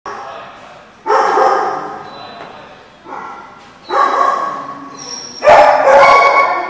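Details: Dogs at a place called The Barking Lot, recorded 1/9/15: four loud bark bursts with harmonic, yelping tones, roughly one every second and a half, spread over about seven seconds, with voices possibly mixed in.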